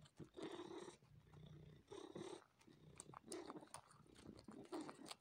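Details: House cat purring while sucking on and kneading a person, a steady rumbling purr rising and falling with each breath about every 1.5 seconds, with soft wet sucking clicks over it indoors.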